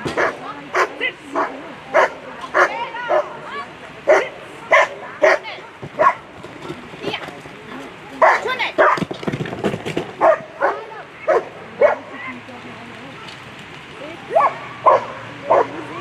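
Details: German Shepherds at a world championship agility competition; loud sharp barks in quick bursts, roughly a hundred a minute, unevenly spaced, over crowd murmur and a public-address voice.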